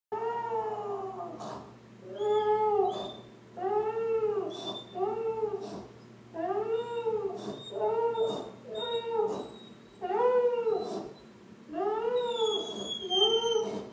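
A dog howls in a series of short, arching, rise-and-fall wails, one after another.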